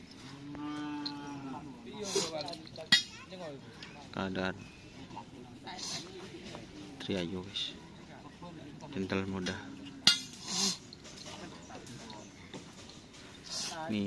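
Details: Cattle at a karapan sapi bull race training session at the Asemanis field in Pamekasan. A drawn-out, low moo with a slight downward slide fills the first two seconds. Knocks, clatter and people's voices follow.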